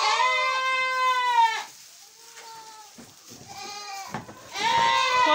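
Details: Newborn miniature goats on a French farm in June, among kids born the day before: loud, wavering bleats with rich harmonics, a long cry at the start, softer calls in the middle, then another strong bleat at the end.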